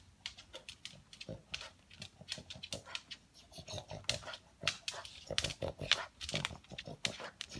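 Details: A male pug hunting for leftover food pellets with loud vacuum-like snorting: quick, harsh bursts of air repeated about twice per second, grouped irregularly, some sharper and louder near the end.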